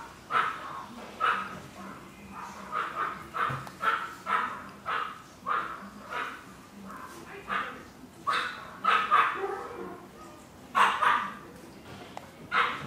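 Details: Chihuahua puppies barking almost continuously, quick high-pitched yaps every half second or so, some doubled and some shriller, with little other sound in the room.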